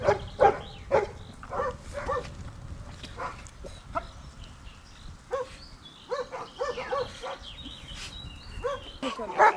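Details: Giant Schnauzer Dea vom Wasserschloß in protection-work training, giving scattered sharp barks, irregular and some in quick pairs, interspersed with quieter gaps and faint high bird-like whistles in the background.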